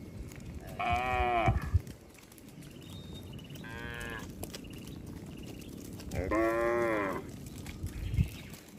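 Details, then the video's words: Herd of cattle wandering on a road, several moos in a row: three drawn-out harmonic lows spaced a few seconds apart, with low rumbling background noise and scattered clicks. "Rombongan sapi berkeliaran di jalan suara sapi bunyi"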